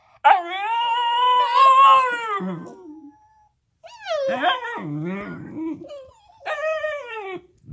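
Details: A pair of Alaskan Klee Kai howling together indoors: a long, wavering howl of about two and a half seconds tails off into a whine, followed by shorter rising and falling howls and yips.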